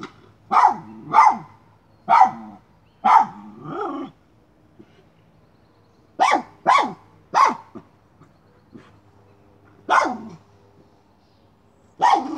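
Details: Miniature schnauzer barking while hunting a chipmunk: sharp, bright barks in pairs and short bursts, separated by quiet gaps, with a steady low hum underneath.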